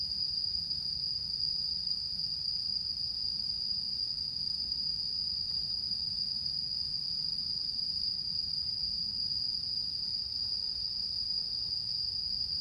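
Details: Night-singing autumn insects under the mid-autumn full moon on 10 September 2022 produce a level, shrill continuous buzz, steady for the whole stretch, with a faint low murmur underneath.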